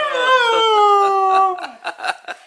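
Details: Mishka, a Siberian Husky known for talking, gives a long wavering howl rich in overtones that slides slowly downward for about a second and a half, then breaks into several short choppy yowled syllables.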